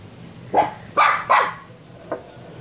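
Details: A young Shiba Inu pup, Kyno or Niro, lets out a quick run of high, yelping barks, three close together and a softer fourth after a short pause, in an indoor room with a faint low hum.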